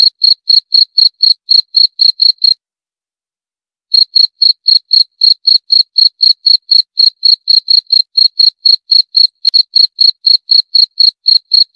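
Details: Regular high-pitched cricket chirps, roughly four each second, break off for about a second and a half early on, then resume at the same even pace against a silent background.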